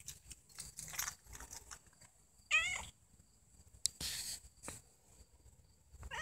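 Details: Domestic cats, mother Puffy-fluffy with her kitten Snow White: one clear, short, harmonic meow bending up then down midway, a second meow just beginning at the end, amid scattered rustling, clicks and brief noise bursts.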